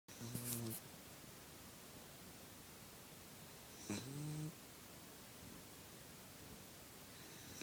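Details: Sleeping female puppy snoring indoors: a short low, rough, harmonic snore near the start, then a second snore about three and a half seconds later, with quiet room hiss between breaths.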